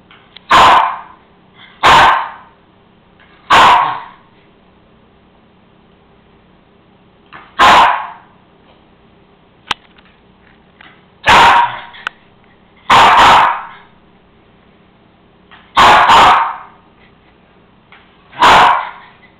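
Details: A Cairn Terrier demands his bone, which sits on the counter, with loud single barks indoors, sometimes in quick pairs, separated by pauses of one to four seconds, over a quiet room hum.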